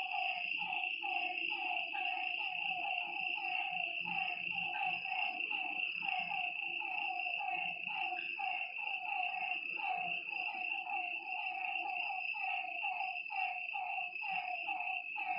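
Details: Night chorus of frogs at a lake: many overlapping callers give quick, clipped croaks about once a second each, layered over a constant shrill insect hum and a faint low rumble.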